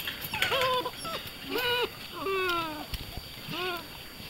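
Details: Beauceron puppies 45 days old, born 21 November 2010, giving a run of high, tonal whines and whimpers that rise and fall, each lasting under half a second, with short gaps between them, indoors.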